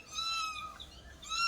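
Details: Domestic cat at home being caught after scratching a family member, who went to hospital: a high, drawn-out meow holding steady, a brief pause, then a second meow rising at the end, with faint room noise.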